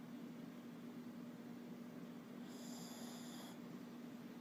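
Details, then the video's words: Snoring Shih Tzu lets out one nasal whistle lasting about a second, high and layered in bands, against a constant low droning hum. "Cute Shih tzu snoring"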